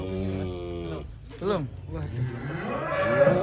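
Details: Fat cattle: a deep, harmonic moo of about one second opens, followed by a man speaking and faint background music.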